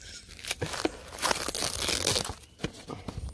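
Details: Packaging being torn and crinkled indoors during an unboxing, with no animal calls heard.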